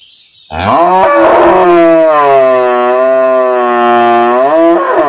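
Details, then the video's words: Village cow, standing, calling to her calf with one sustained, loud, steady moo lasting over four seconds, strongly harmonic and slightly wavering before it fades. "Village Cow Mooing || Cow Sound || Cow Standing || Cow Call Her Calf"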